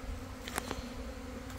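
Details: A swarm of Italian honey bees, just swarmed from a backyard hive and clustered on a cut branch beside a waiting hive, gives a steady low droning hum with brief ticks; the queen is inside the cluster and the bees ignore the person nearby.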